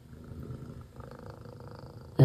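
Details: House cat purring steadily while watching birds and a squirrel, a continuous low rumble, ending in a sudden loud thump.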